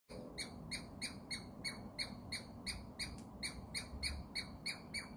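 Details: A Douglas squirrel gives sharp, harsh squeaks, about three each second, in a steady series. A gray squirrel nearby wags its tail on hearing them.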